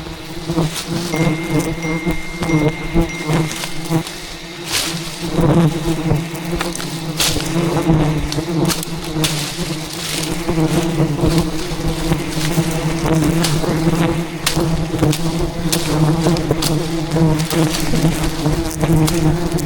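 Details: Thousands of aggressive wild bees swarm in defence of their colony as a giant hive hidden in jungle branches is harvested; a dense, continuous low hum with wavering harmonics runs throughout, broken by frequent sharp taps and cracks.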